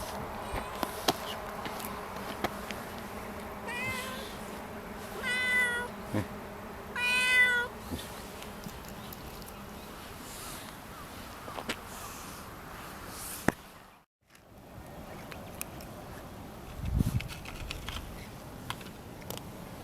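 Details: Kitten in a park on an early spring morning, giving a few short, clear meows with bright harmonics around four to eight seconds in, bending up and then down, followed by a long quiet stretch of faint outdoor background and a soft low thump.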